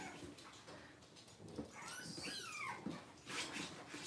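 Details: Six-week-old Cavalier King Charles Spaniel puppy during deworming and toenail trimming gives one drawn-out, arching whine that rises and then slides down, amid steady handling noise.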